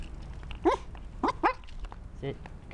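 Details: Trinket, a dog riding in a homemade bike mount, upset because the bike is being walked rather than pedalled, lets out four short, sharp yelping barks in quick succession, with quiet rustling around her.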